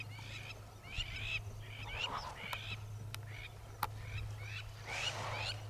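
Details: African wild dogs in a pack hunting a mother and calf waterbuck near a hippo-filled waterhole, after missing a herd of impala: high, bird-like chirps in quick clusters of two to four, rising and falling, over a steady low hum.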